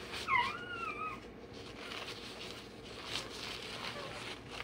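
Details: Day-old Rottweiler puppy having its tail and dewclaws done: one sharp, high squeal rising then bending downward in the first second, followed by a softer wavering whine, over a steady low background hum.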